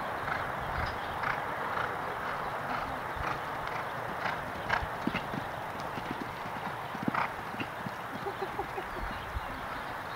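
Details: Horse hoofbeats during a show jumping round in the Jumpers Table II section B at the Parkside Horse Show: a steady run of sharp, regular thuds and knocks over a constant wash of broad background noise.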